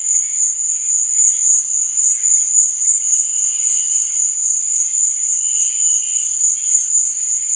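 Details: Crickets at night giving a constant piercing trill, joined by intermittent fainter buzzing chirps a little lower in pitch.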